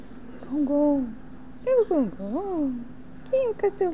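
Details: Siberian Husky that loves cheese bread, making drawn-out howling 'talking' sounds: several sweeping, bending tones that rise and fall, in three bursts separated by short pauses, over a steady low hum.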